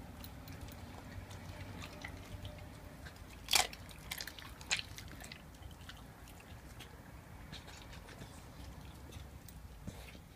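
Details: Raw-fed Staffordshire Bull Terrier Mia, 11 months old, crunches through a raw chicken quarter in a small room; soft squishy chewing runs throughout, broken by two loud cracking bites in the middle.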